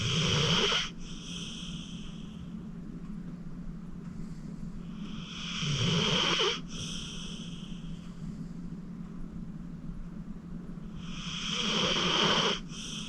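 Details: Acorn, a senior pit bull aged 14 and rescued from the Cuyahoga County Animal Shelter, sleeps deeply while snoring. Rough, swelling snores end abruptly about every six seconds, separated by soft, airy breathing.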